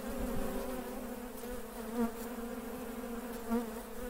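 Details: Western honey bees (Apis mellifera) at work buzz in a steady, low drone, with individual bees swelling louder as they pass close.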